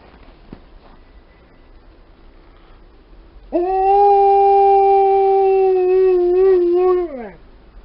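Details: An Alaskan Malamute and a Golden Retriever howl together in one long, steady, tonal note that ends in a falling slide.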